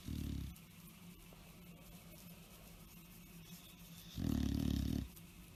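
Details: Bulldog asleep and tired, giving two short, loud, rumbling snores about four seconds apart over a soft steady indoor hiss.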